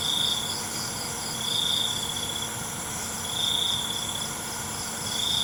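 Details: Crickets calling at night: shrill, steady trilled bursts about half a second long, recurring roughly every two seconds over a constant high insect shimmer.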